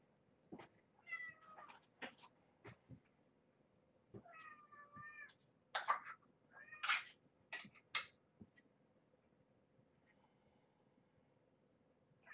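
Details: Domestic cat, a rescued former stray mother, with her growing kittens at a shelter during a morning feeding of extra formula; several short high mews with harmonics around 1–2 seconds and 4–5 seconds, then sharp clicks and bumps of handling.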